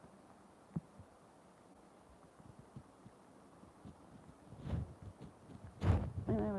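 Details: Low thuds, rustling and handling noise, then a human voice starting at the very end, with no animal calls.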